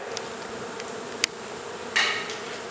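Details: Honey bees from a hive in a second-story wall of a home in Mission, Texas, during an indoor removal and relocation; a steady low droning hum runs throughout, broken by a sharp tap and a brief scraping rustle.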